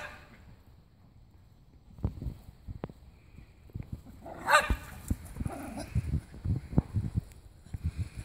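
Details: Two Jack Russell Terriers, Timmy and Oliver, going wild in a backyard scuffle. Low, rough growling comes in rapid bursts, broken by a sharp bark in the middle. Scrambling sounds run through it, and a person urges them on.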